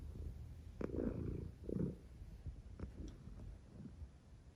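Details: Mya the cat dozing peacefully, with quiet low purring snores: two fuller rumbling breaths early on, then fainter, softer pulses fading into a still room.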